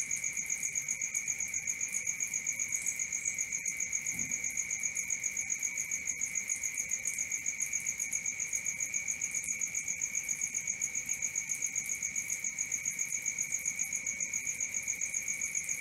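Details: Nocturnal crickets sing a long, even, high-pitched pulsing trill, about four beats each second, steady throughout with a faint brief low thump near the middle.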